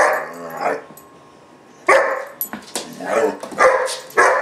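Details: Temper tantrum from a German Shepherd puppy around 4-5 months old named Gunner: a drawn-out bark, a pause, then a quick string of sharp barks.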